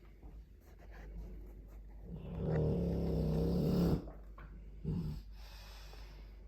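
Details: Dogue de Bordeaux asleep, giving a loud, low, throaty snore of nearly two seconds that ends abruptly, followed by a shorter, snorting breath a second later, with soft breathing between.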